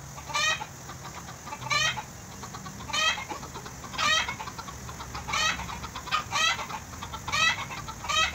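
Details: Tame goat bottle-fed by its keeper in Bahrain, bleating repeatedly: seven short, trembling, high-pitched cries with a wavering quaver, roughly one every second or so, against steady low background noise.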